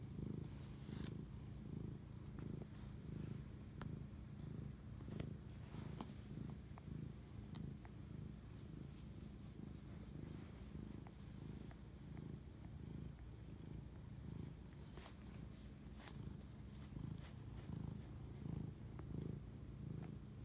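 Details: Cat purring late at night, 11:07 pm on March 25, 2019, while bonding; a long, low droning purr pulsing with each breath throughout, punctuated by scattered small clicks and rustling movements.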